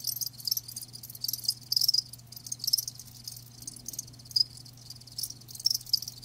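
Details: Chirping of live crickets: high, trilling pulses in uneven clusters, a louder burst near two seconds, overlapping callers and a soft low hum beneath.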